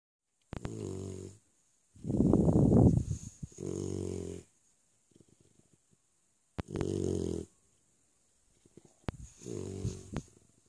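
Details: Three-month-old Labrador puppy snoring while asleep indoors: low, rumbling breaths in long bursts of about a second, one louder rasping snore near the start, with quiet pauses between breaths.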